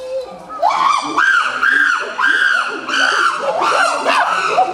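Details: Common chimpanzees at Maruyama Zoo, 22 August 2010, frolicking together and voicing excitedly: loud, high arching screams repeated in quick bursts of about one per second, several voices overlapping.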